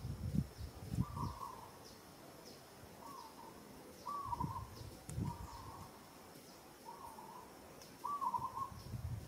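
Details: In Kampong Cham Province, Cambodia, a female monkey struggling while being roughly handled by another monkey gives short, tonal coo-like calls about every second, amid rustling and thumping.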